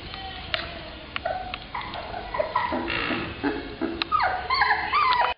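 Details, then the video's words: Black Labrador Retriever puppies, females: scattered short yips, then a burst of high, sweeping whines that slide downward, overlapping near the end of the stretch. "Cachorros Labradores Negros"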